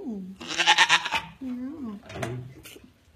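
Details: Female African pygmy goat, a grand champion doe, calling around 9am on the morning she later kidded triplets, restless and uncomfortable with a full udder; short harmonic bleats, one falling, one wavering, between a louder rough burst, with human voices mixed in.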